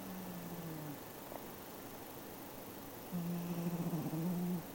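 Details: Domestic cat snoring while asleep indoors: a low, steady droning tone on each breath, one drawn-out snore at the start and another lasting about a second and a half later, with a gap between and constant background hiss throughout.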